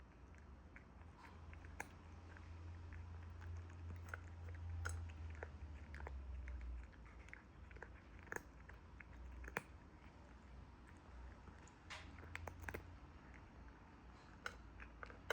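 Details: A cat eating, with irregular crunching and chewing clicks several times a second over a low steady hum in a small indoor room.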